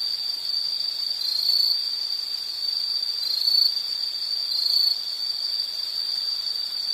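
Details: Continuous high-pitched insect trill, steady in pitch, with a few short louder bursts and a faint extra high buzz appearing in brief patches.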